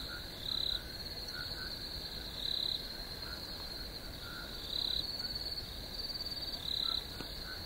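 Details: High, insistent cricket chirping: a constant thin trill with four louder pulsed bursts spaced about two seconds apart, plus faint lower chirping notes in the background.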